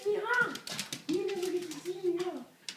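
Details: Husky welcoming its Marine owner home on 24 December 2012, indoors: a short wavering whine, then a long sustained, slightly bending whining tone lasting over a second, with a woman's affectionate voice nearby.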